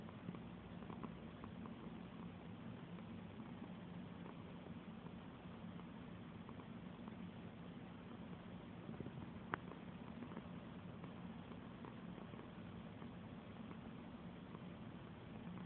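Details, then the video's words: Domestic cat purring while being petted; a steady, low, continuous rumbling purr throughout, with soft rustling of fur and hands on top. "Petting a purring cat"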